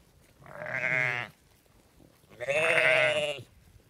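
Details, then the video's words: {'text': 'Sheep on a farm giving two loud, wavering baa bleats, each about a second long, separated by a short quiet pause.'} "Sheep Sounds: Baa-rilliant Sheep Noises for Kids!"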